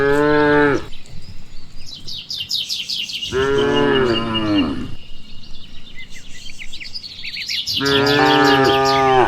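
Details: Cows of a village herd led home after eating nutrient-rich grass; three long, rich moos, the middle one sliding downward, separated by pauses filled with chattering birdsong.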